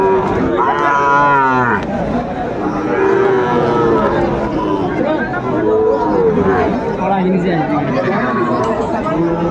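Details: Sahiwal bull calves at a cattle market in Joypurhat, bought by a farmer on 17 August 2024; several deep, drawn-out moos with stacked harmonics rise and fall over steady crowd chatter and people talking.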